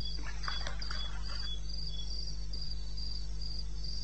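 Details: Crickets at night in eastern Botswana wilderness, recorded 21 May 2016 at 2:30 AM: high, regular chirping bursts, joined early on by a brief mid-pitched chattering sound from another creature, over a low steady hum.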